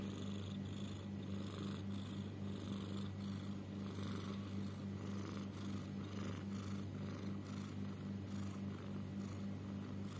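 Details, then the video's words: Domestic cat snoring or wheezing, possibly having trouble breathing: a steady low rumbling drone with a pulsing buzz, overlaid by soft breathy rasps recurring roughly every second. "Is my cat snoring or wheezing? / Or having trouble in breathing"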